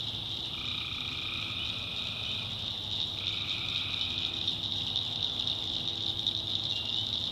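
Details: Swamp at night in the backwoods of North Carolina, where tree frogs keep up a dense, high, ringing chorus, with a couple of long even trills running for about two seconds at lower pitch.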